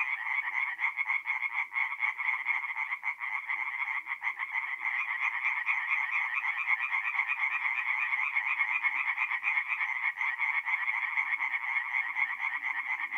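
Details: Singing tree frogs at a forest pond by night in mid-April, north-east Italy: rapid repeated raspy croaks from a crowd of callers, steady and dense, with faint low murmurs beneath.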